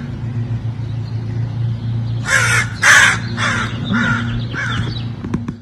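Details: Chirping from an Egyptian Mau cat: a quick burst of five or six sharp chirps after a quiet start, with a low hum throughout and a person speaking nearby.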